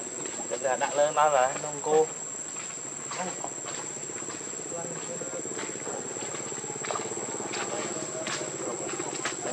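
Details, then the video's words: Rainbow the monkey, furious as it guards Lucie against Kachoy, lets out a quick series of loud, pulsing harmonic screeches in the first two seconds. A constant shrill insect hum and low chatter fill the rest. "Rainbow Very Angry To Protect Lucie From Kachoy"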